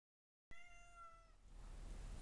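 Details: Ginger, a pet cat, angry and wanting to go outside, gives a single clear, drawn-out meow of about a second with a steady, slightly falling pitch, followed by quiet room noise.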